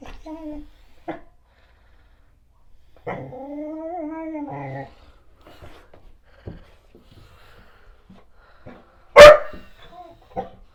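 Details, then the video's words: Black Goldendoodle dog barking at its owner's mother and a painter indoors: a drawn-out, wavering whine, then one sharp, loud bark near the end, with quiet speech and faint background sounds. "My Black Goldendoodle Barking"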